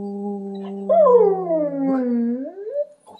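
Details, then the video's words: Owen, an excitable, happy husky, sings quietly with his owner during an indoor play break: a wavering howl rises at about one second, then slides down and up again, over a steady human sung note held underneath. "Husky Owen Plays And Sings"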